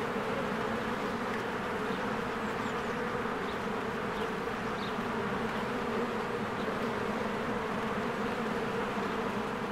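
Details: Honeybees busy at their hive in blooming spring, swarming in and out: a level, dense insect drone, low hum prominent, with faint short bird notes now and then in the background.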